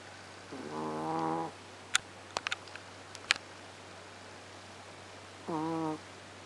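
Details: Sleeping female Chihuahua snoring: two buzzy, harmonic snores about four seconds apart, with scattered small clicks and taps between them in a quiet indoor setting.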